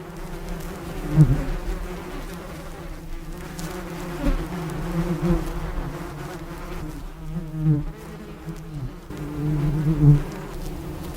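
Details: Honey bee. A bee drones with a low, continuous hum built on a deep fundamental and layered overtones. The buzz rises and fades in loudness as the insect moves nearer and farther away.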